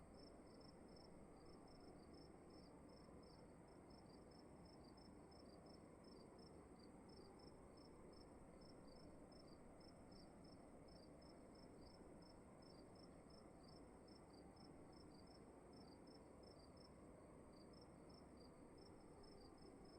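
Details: Crickets in a room, with high, short chirps coming quickly and sometimes overlapping as if two callers alternate, set over a continuous low background rumble.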